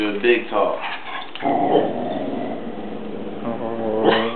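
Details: Pet dog, one of two performing tricks, 'talking' on command: short yelps, then a drawn-out, wavering, whine-like vocal lasting about two seconds, ending in a brief rising yelp, with a person's voice giving commands.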